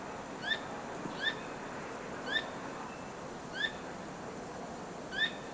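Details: Squirrel at night, repeatedly wagging its tail, giving sharp, ringing chirps with a slight downward slide, spaced about one to one and a half seconds apart, over soft steady background noise.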